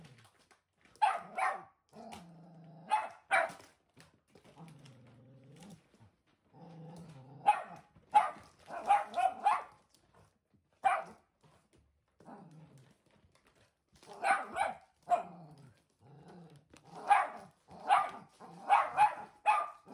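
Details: Indoor blue merle Sheltie, one year old and still easily scared, barking at a newly arrived mattress: short sharp barks in clusters separated by low rumbling growls, pauses of a second or two, bursts growing quicker toward the end.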